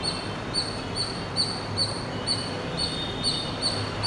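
A squirrel gives a quick run of high, sharp chirps, repeated about every half second.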